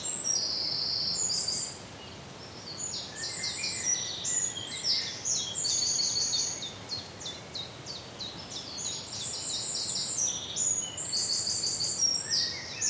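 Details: Indian flying fox in Pune, Maharashtra, feeding on Ashoka seeds, giving shrill squeals and rapid clicking chatter in bursts, with a brief lull near the two-second mark before the noisy squabbling resumes.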